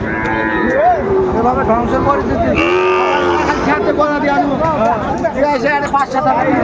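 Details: Sahiwal bull at a cattle market in Gazipur, Bangladesh, on 27 August 2024; a drawn-out lowing call rises over constant crowd chatter, voices and background noise.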